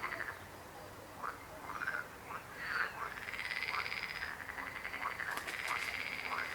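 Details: Croaking frogs: scattered short croaks build into a continuous rattling trill that carries on to the end, with a brief sharp click near the close.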